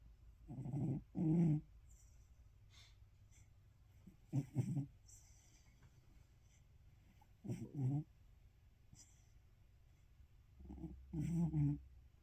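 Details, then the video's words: A sleeping cat snores: low, rasping double breaths come in pairs roughly every three to four seconds, with quiet stretches between them in a calm indoor setting. "snoring cat"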